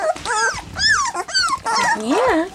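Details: Three-week-old black English Labrador Retriever puppies at their first taste of goat's milk give whining, squealing whimpers that rise and fall in pitch, several overlapping, with a woman's voice encouraging them.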